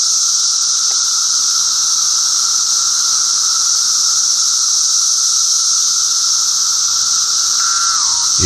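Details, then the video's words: Dense chorus of Brood XIII 17-year periodical cicadas singing from trees and bushes, northern Illinois, 2:30 p.m. on a warm, sunny 9 June: a steady low droning whir under a high hissing buzz, more than one song type. "If you listen closely to these cicadas, you can tell there's more than just one kind of song going on."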